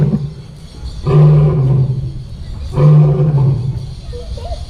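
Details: Zoo lion giving two powerful low roars in quick succession, each a sustained deep groan lasting about a second, separated by a brief pause.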